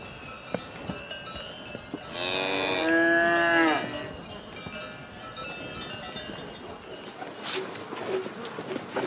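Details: Cow mooing once in a long, rich lowing lasting under two seconds, with scattered clicks and a brief higher noise burst later amid quiet outdoor background.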